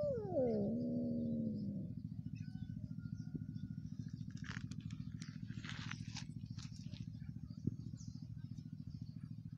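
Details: A cat gives one drawn-out meow that starts high, slides down and then holds a steady tone for almost two seconds. A constant low engine drone runs underneath, with faint rustling and clicks afterwards.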